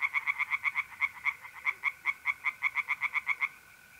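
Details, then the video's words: Tree frog at a pond on a mid-April night in north-east Italy, giving a fast run of about twenty sharp nasal pulses in three and a half seconds, over a steady mole cricket trill. "relaxing singing tree frogs in pond and trilling mole crickets by night"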